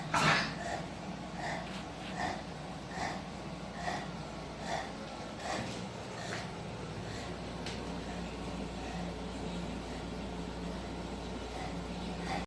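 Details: Bulldog in NYC tucked into a hiding spot, snuffling and snorting in a run of short noisy breaths, a stronger one at the start, against constant low indoor hum.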